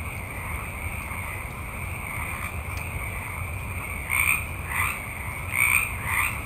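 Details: A night chorus of many frogs in a forest: a constant high trill with louder croaking bursts every second or so.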